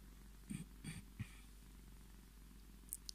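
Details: Tommy, a Scottish Fold tomcat seeking cuddles, purrs in a low, even rumble; several short breathy snuffles break in during the first second and a few faint clicks come near the end.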